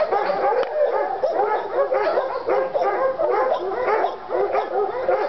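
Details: Two Treeing Walker Coonhounds, Lady and Cooper, in North Carolina, fired up on a coon skin. Overlapping, excited bawling howls and barks run continuously, rich in harmonics, rising and falling in quick repeated bursts with no pause.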